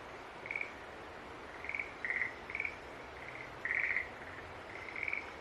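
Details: Several green tree frogs calling at once, short pulsed high notes overlapping irregularly, one longer louder burst among them, over a steady hiss.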